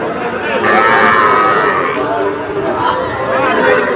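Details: Young Sahiwal bull calves at the Ambari cattle market in Kushtia, Bangladesh, 24 May 2024, where a farmer buys small calves; hoarse, drawn-out calf moos rise above a steady din of crowd chatter and voices.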